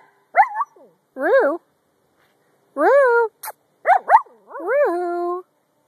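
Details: Two female Brussels Griffon dogs making rising-and-falling whining yips in short bursts, several clustered cries with bent, wavering pitch and a longer steady moan at the end, separated by brief silences; a person talks to them nearby.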